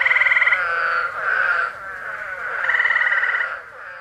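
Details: Eastern spadefoot toads in Massachusetts, USA, July 2021, give coarse, groaning notes that swell and fade in a dense chorus, while gray tree frogs add rapid, pulsing musical trills between the toads' moans.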